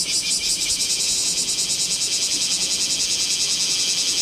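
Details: Bear cicada singing in Kamo town on 2 August 2026 during a summer heat wave, filmed with a Z50II camera: a dense, shrill, high-pitched buzzing chorus that pulses steadily about three times per second throughout.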